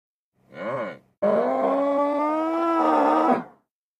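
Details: Nervous bull making a brief nasal grunt, then a steady, sustained low moo with a strong tonal quality, held for over two seconds before cutting off.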